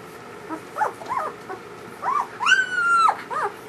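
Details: Newborn German Shepherd puppies from their mother's first litter cry near her, giving short squeaky whimpers and one longer high whine that rises then holds steady, against a faint background hum.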